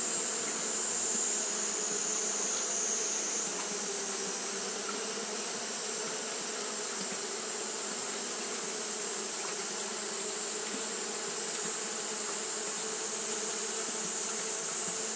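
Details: Japanese honey bees keep up their fanning through a hot day; a steady, unwavering buzz of massed wings with a deep hum and a persistent high hiss running the whole time.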